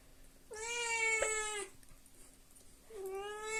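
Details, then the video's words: Devon Rex cat meowing while being washed indoors: a long, drawn-out, slightly falling meow lasting about a second, then a second meow starting near the end, both rich and harmonic with a faint steady hum behind. "Девон Рекс моется"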